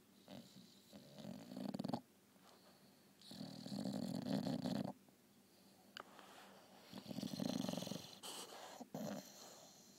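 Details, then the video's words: English Bulldog snoring during a nap: three long, harsh, rumbling snores of about one to two seconds each, separated by quieter breathing gaps, with occasional faint clicks between them. "bulldog snoring"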